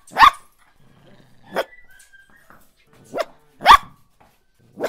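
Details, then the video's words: Puppy or small dog barking irregularly, loud sharp barks mixed with softer ones and faint whining tones between them. "Kutay ki awaz"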